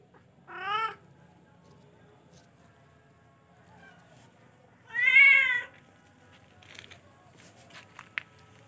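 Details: Charcoal F1 cat uttering a short rising mew followed by a much louder, wavering meow, then faint rustling and a small click in an otherwise quiet setting.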